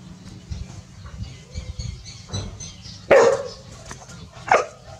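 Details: Village dogs Pao and Rank barking at a snake met by the family; two sharp, separate barks about a second and a half apart over low background rumble.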